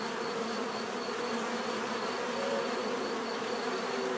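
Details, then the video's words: Relaxing natural bee buzzing: a full, steady drone of many insects, slight wavering pitches within the hum and a faint steady high whine running throughout. "bees therapy relaxing natural buzzing sound"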